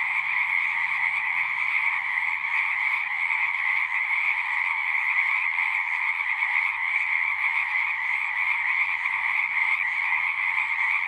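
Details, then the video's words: A dense chorus of frogs singing at a pond in a horse pasture, recorded with a Zoom recorder: a steady, unbroken wall of high trilling calls in two bright bands, with no pauses and nothing else clearly heard. "Frogs singing"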